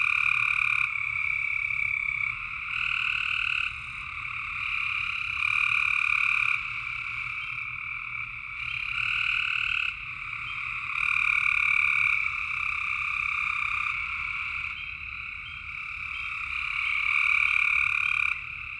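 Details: Frogs at night in Tennessee, many voices trilling together in an unbroken high chorus, loudness rising and falling in waves every few seconds, with a soft low hum beneath.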